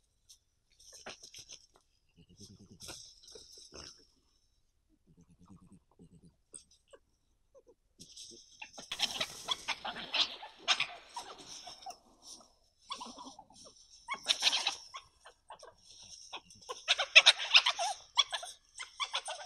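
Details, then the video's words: Wild badgers talking to each other at night, recorded by a camera trap in Prioksko-Terrasny Reserve in March 2020, interaction ending in a violent scuffle; soft low grunts at first, then loud harsh bursts of rapid rasping chatter and scuffling noises. "Разговорчивые барсуки. Talkative badgers"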